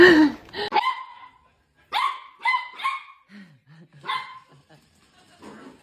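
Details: Pet dog in a funny dog compilation giving a series of short, sharp barks and yips in quick bursts, with pauses between, and a few lower whimpering sounds near the middle.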